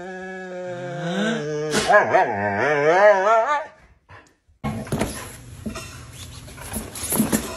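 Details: Moon the pet Siberian Husky, playing with his owner, makes a rising, wobbling howl-talk for over three seconds, then the scene turns to noisy rustling and scuffling.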